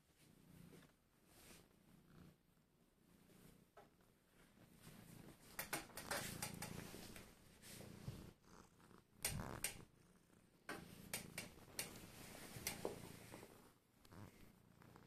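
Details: Lemon, a relaxed pet cat described as melting, purring with a low, steady rumble, broken by loud rustling and clicking handling noises indoors.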